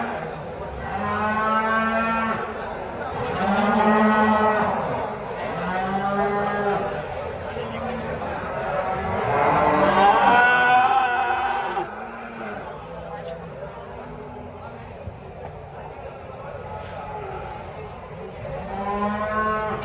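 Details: Simmental and Limousin cattle at an animal market in Indonesia, lowing in long, deep, drawn-out moos that repeat every few seconds and overlap one another, with faint crowd chatter behind.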